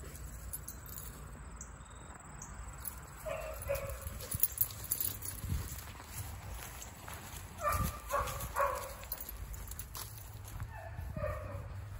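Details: A huge black Great Dane, dated 10/08/2022, lets out clusters of two or three harmonic barks at three points, separated by stretches of steady low outdoor rumble.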